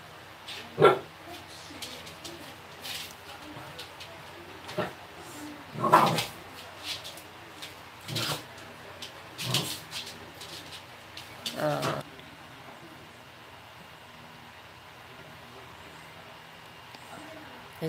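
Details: Pembroke Welsh Corgi, an 11-month-old female named Minky, indoors play-fighting with a four-year-old Maltese mix named Mangchi who is reluctant; scattered short barks and yips at irregular intervals, some loud, with quiet gaps between and faint background talk.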